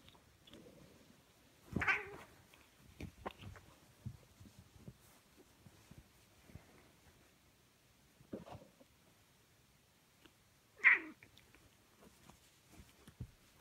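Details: Cats fighting: two sharp, harsh broadband bursts, one near two seconds and a louder one near eleven seconds, with quieter scuffling and clicks in between.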